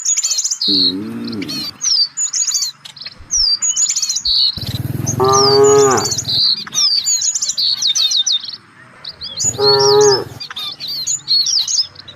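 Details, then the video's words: A herd of village cattle seeking fresh grass: a short low moo, then a long loud one and a third rising moo, set against dense, continuous chirping and trilling birdsong. "Suara sapi lucu"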